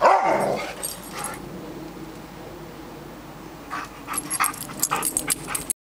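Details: Greater Swiss Mountain Dog barking to keep squirrels out of the yard and up in the trees; one loud, deep bark at the start, then a quiet outdoor background with scattered clicks and rustling.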